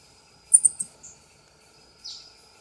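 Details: Ring-tailed coati, Nasua nasua, giving a fast burst of three shrill high-pitched squeaks, then a softer single squeak and a lower, breathy downward chirp, against near silence with a thin constant tone.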